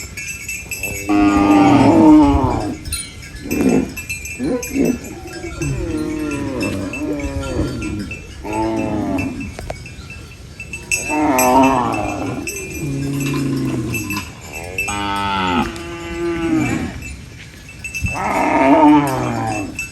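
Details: Farm cow mooing while eating banana leaves: a rapid series of loud, wavering moos, some long and some short, rising and falling in pitch with brief pauses and faint clinking between calls.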